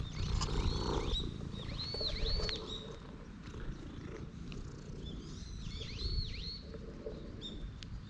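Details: Stray cat at a temple, having dashed straight toward a person, gives a low continuous rumbling purr that swells and fades; bright swooping chirps from birds sound repeatedly above it outdoors.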